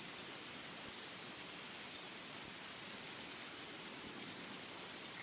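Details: Forest insect chorus forming a continuous piercing high buzz, rising and falling in volume in broad steps roughly every second, with no birds or voices.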